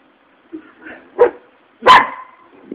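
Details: Angry dog barking in three separated bursts, the last one loudest and broadest, with short quiet gaps between them.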